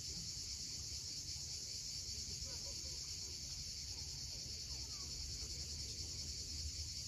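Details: Sunset cicadas on the Crimean coast at Cape Fiolent give a constant, sizzling high-pitched trill, steady throughout, layered over the low wash of waves.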